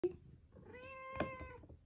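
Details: Cat playing with a plastic bag gives one drawn-out, level, tonal meow lasting close to a second, preceded by a faint click and crinkle, in a small quiet room.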